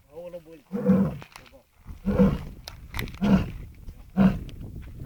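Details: Lion at Sasan Gir giving a series of deep, hoarse grunting roars, four bursts roughly a second apart, with a voice heard at the start.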